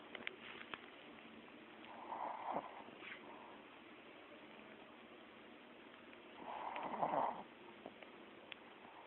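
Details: Pet dog snoring in its sleep, two drawn-out raspy snores about five seconds apart separated by near silence.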